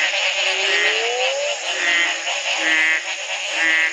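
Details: Chorus of frogs in Belize's Community Baboon Sanctuary, recorded in 2010 on the morning after one night of rain broke a three-month drought; a long upward-sliding croak, then short tonal notes repeating about once a second over a thick chorus.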